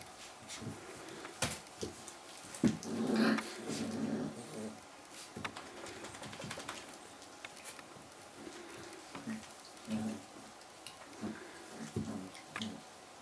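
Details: Azawakh puppies from a litter, indoors in a small room, dated 11 December 2011; soft whimpers and brief low growly grunts come in irregular bursts, with tapping and handling knocks between them.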